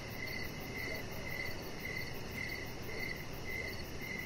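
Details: Crickets sing in the evening outside while a chihuahua puppy rests on the deck; sharp, high chirps pulse evenly, roughly two a second, over a low steady hiss.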